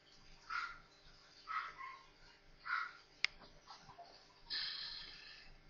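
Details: Four newborn Maltese puppies playing together indoors: three short, mid-pitched squeaks about a second apart, then a sharp click and a longer, breathy, hissing burst near the end.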